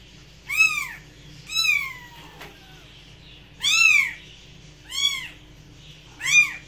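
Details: Cat giving five short arched meows, each rising then dropping in pitch, one trailing into a long downward slide, spread irregularly over several seconds against a quiet low hum.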